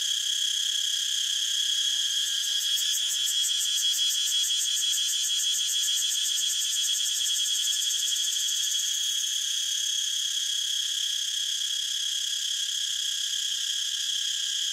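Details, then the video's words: Continuous shrill cicada buzzing, with a rapid pulsing shimmer in its highest tones over the first half that fades, leaving an even, sustained drone; nothing else audible. "Cicada sound so natural"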